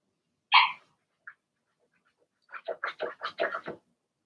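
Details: Blenheim Cavalier King Charles Spaniel puppies from a litter of six in an indoor puppy pen; one sharp yap, a pause, then a quick burst of about eight short, high yips.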